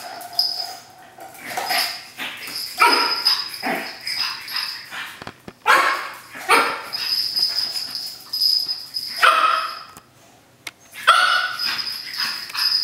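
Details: Cookie, a three-month-old pug puppy, romps wildly with a paper towel roll indoors; short high yips and squeaky barks come in bursts with brief pauses, mixed with rustling and thumping from the play.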